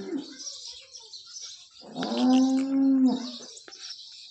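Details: A single steady, drawn-out, low harmonic moo lasting about a second from a freshly calved Holstein Friesian cow in her second lactation, Nashik district, India, over faint high-pitched chirping and hiss.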